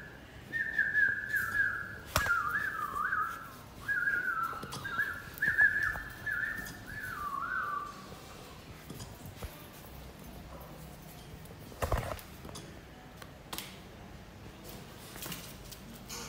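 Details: Playing Pit Bull puppy, two months old, lets out a run of high, wavering whimpers over the first eight seconds, then falls quiet apart from scattered clicks and knocks.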